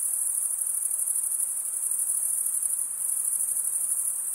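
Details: Short stretch of crickets chirping: males stridulate with toothed wing veins, giving a bright, tightly pulsed high trill that stays level from start to finish.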